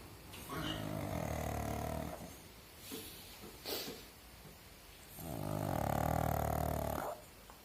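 A pug snores in long, rumbling breaths, each drawn-out rasp lasting about two seconds.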